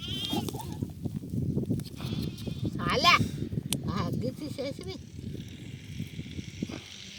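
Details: Sheep being treated for an eye problem that stops them seeing. Around the middle comes one loud, quavering bleat, followed by a few shorter bleats, over a steady murmur of people talking nearby.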